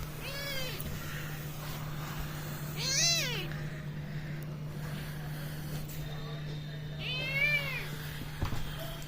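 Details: Domestic cat being playful and mischievous with a boy, giving three arching meows spread across several seconds, each rising then falling, with a low steady electrical hum and occasional quiet speech in the background.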